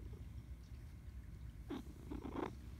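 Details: A house cat is talked to. A continuous low, pulsing purr runs the whole time. Near the end come three short, soft chirping vocal sounds.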